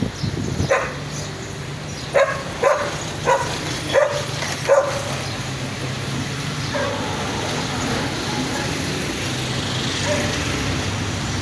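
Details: Dogs gathered at garbage, one giving a quick series of five sharp barks over a steady low rumble of traffic or machinery, followed by quieter background noise.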